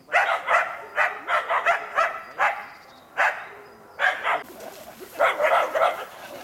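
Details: Karelo-Finnish Laikas Rus-Fin, two years old, and Kaya, eight months, barking at a wild boar in an enclosure as training for trials; quick doubled and tripled yaps, a short lull, then a renewed burst.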